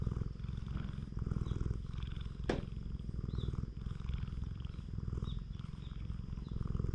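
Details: Stray cat on a cat island purring steadily while being stroked all over its body, filmed on a GoPro HERO8 Black; a deep, even rumbling throb runs throughout, broken by one sharp click midway, with faint high chirps in the background.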